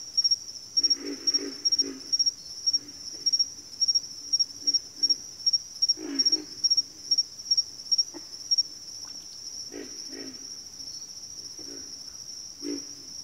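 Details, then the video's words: Backwater frog chorus of pig frogs and water frogs: low, grunting croaks in short bursts, often two or three in quick succession, scattered irregularly over a steady high, pulsing insect trill that runs throughout. "FROGS - Pig Frogs, Water Frogs, Backwater Chorus, & Frog Chorus"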